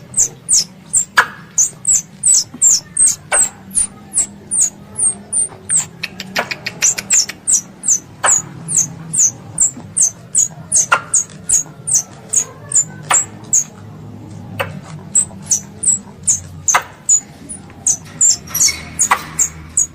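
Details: Squirrel, described as a pest, calls for its mother with a long, almost unbroken run of piercing high chirps, roughly two to three each second, interspersed with sharp clicks over a soft low background hum.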